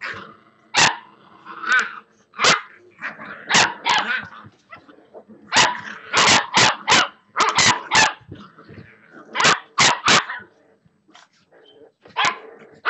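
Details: Playing Boxer pups aged six weeks yap and bark in rapid volleys, sharp high barks coming in runs of three or four, interspersed with whiny growling and scuffling.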